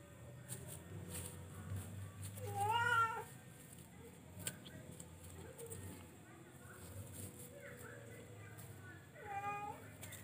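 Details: Charcoal F1 kucing, a domestic cat, uttering two drawn-out, rising-then-falling meows roughly six seconds apart over a low hum and faint background murmur.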